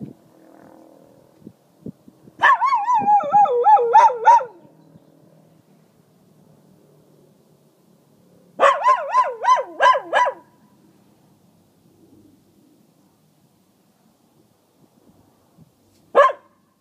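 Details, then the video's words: A small male dog calls out to warn coyotes off the property, giving two bursts of pulsing, wavering howls about two seconds long, separated by a pause, then one final short yelp. "Dog Warns Coyotes To Stay Away"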